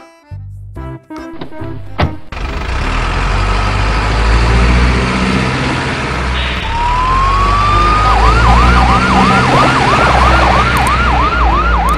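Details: Truck engine rumbling under loud music-like horns, then a rising electronic siren whooping repeatedly from about eight seconds on; no animal voice.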